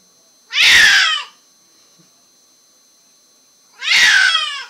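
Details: Zoey, a happy, vocal pet cat born deaf, indoors, giving two very loud harmonic meows about three seconds apart, each strained and lasting under a second, with near silence between.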